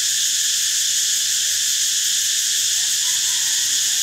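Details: Cicada singing: a steady, unbroken, high-pitched shrill drone with several layered bands, holding constant loudness throughout the four seconds with no pauses or pulses.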